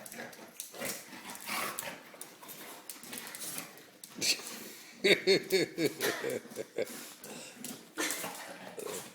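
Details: Dozer, a three-year-old English Bulldog, wrestling with a boy at home: rough, breathy snorts and grunting bursts come at an uneven pace, with a short voiced whine in the middle and people talking and encouraging nearby.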